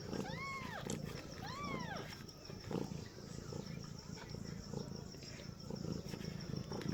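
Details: Newborn kittens, born to a cat giving birth for the first time, meow twice in quick succession. Each cry is thin, high and arched, with clear overtones, and lasts under a second, over a steady low rumble of background noise.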